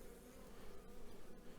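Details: Carniolan honey bees buzzing at an apiary during a spring hive inspection on a fine spring day, restless after chainsaw clean-up noise; a steady low droning hum fills the clip, with brief clicks.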